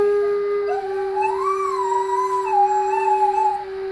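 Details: Bene, a pet Whippet, sings along as a flute is played, in a little Beethoven duet: a drawn-out wavering howl rises, swells, then settles and holds, over one long steady flute note throughout.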